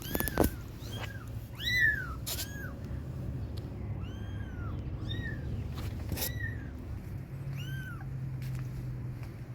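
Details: Young kittens crying for their mother, calling to be fed milk; many thin, arched mews come in a loose series, some overlapping, about forty a minute, over a constant low hum with occasional sharp knocks.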